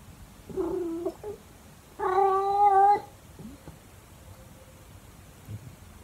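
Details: A calico cat "sings" in the early morning, giving two drawn-out, wavering meows, the second longer and louder, like a low yowl.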